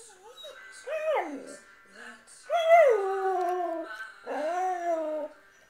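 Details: Samoyed dog, six years old, howling along with the hymn Amazing Grace while a second dog shares the room; three long wavering howls, each rising then sliding down, with sung music faintly beneath.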